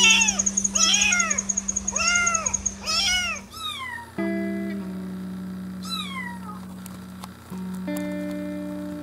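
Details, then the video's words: Kittens in a compilation give quick repeated high meows, about one every half second for the first three seconds, then a few scattered meows over soft background music and a steady high whine. "Adorable kittens meowing"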